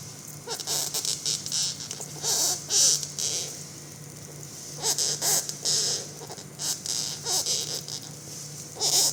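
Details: Large beetle with 15 cm antennae lying on its back on a floor after being sprayed, making loud breathing, choking sounds: harsh hissing bursts in irregular clusters, some short, some drawn out, over a steady low electrical hum indoors.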